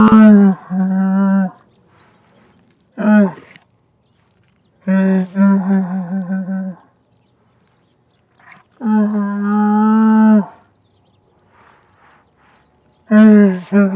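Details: Camel giving a series of deep, drawn-out moans, each a low harmonic groan lasting one to two seconds, separated by short silences, with the last moan still sounding at the end.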